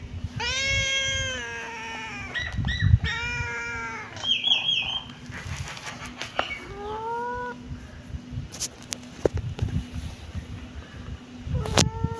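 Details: Kittens meowing in a short burst of several harmonic cries, loud and high at first, then a few softer falling meows, with thumps and rustling between calls and a faint hum.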